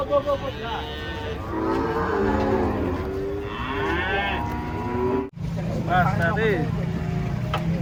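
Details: Giant cattle being unloaded from a truck give long, drawn-out moos, deep and droning, one after another for several seconds, then a brief cut and shorter wavering bellows over steady engine hum and people's voices.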